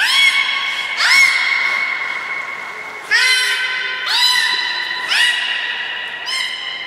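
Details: Aquarium belugas Hodoi, Gray and Mirai at Port of Nagoya Public Aquarium during training on 1 December 2019, giving about six steady, ringing harmonic calls roughly every second, each opening with a short upward sweep.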